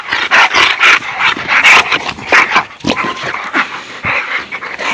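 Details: American bulldog playing with other dogs in a backyard, giving a dense run of harsh, noisy vocal bursts about once a second with gruff growl-like textures. People talk nearby.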